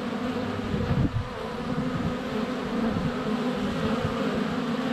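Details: Constant drone of many honey bees flying around a hive entrance on a sunny February day, recorded less than a foot away on a GoPro Hero 7 Black; steady low humming swarm noise, briefly louder around one second as a bee passes close.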